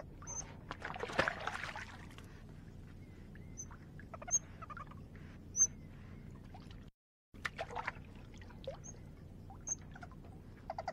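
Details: Eurasian otter. A Eurasian otter calls with brief, piercing high whistles that come every second or so, keeping contact with its companions. Splashing water and a steady background hiss run beneath the calls.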